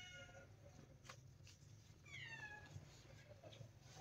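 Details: Golden-coated kitty giving a short, thin meow that slides downward, with a fainter harmonic cry at the start, over a steady low indoor hum and a few soft taps.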